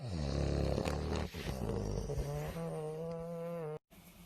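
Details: Sleeping bulldog, tired and napping, snores loudly: one long, rough, droning breath with a low rattle that smooths into a steadier nasal hum, then a brief break in the sound.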